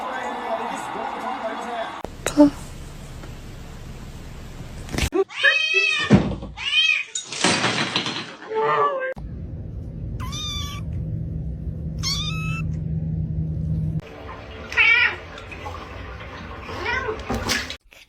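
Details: A domestic kitten gives thin, high-pitched meows, repeated in short bursts between snatches of human talk.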